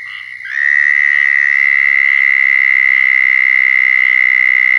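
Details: Southern toad giving its mating call in Florida, raw field recording: a loud, steady, high nasal trill held without a break after a quieter start, with fainter toads trilling in the background.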